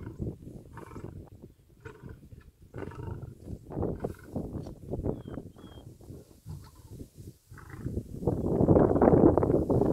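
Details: Wild lion pride at a baby zebra kill in Tanzania's Serengeti National Park, the dominant male taking over from the females: deep rumbling growls in uneven pulses, rising into a louder, harsher snarl near the end.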